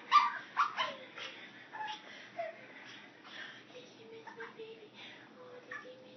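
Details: Female teacup Chihuahua Reeses welcoming her owner home, showing how much she missed her: a few sharp, bright yips at the start, then soft, short whimpers and thin whines that fade toward the end.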